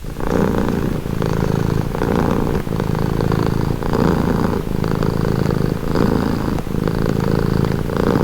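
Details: Domestic cat purring steadily for calming and relaxation: a continuous low rumbling throb with strong low-pitched energy, pulsing in regular breaths of roughly one to two seconds, faint higher hiss on each phase.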